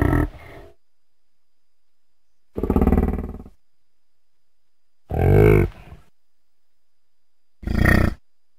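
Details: Bison uttering throaty grunting roars, short bursts repeated roughly every two and a half seconds, one sounding more tonal and moaning; silence between calls.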